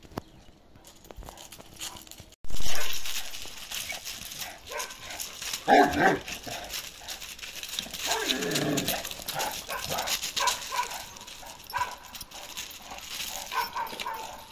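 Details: Balyoz, a 15-month-old male karakırçıl Kangal, gives a loud noisy bark near the six-second mark and a lower, drawn-out bark a little later, after a sharp burst of broadband noise and over steady background rumble.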